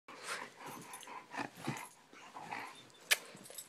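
A Siberian Husky gives a run of short, breathy whines and yips in a small room.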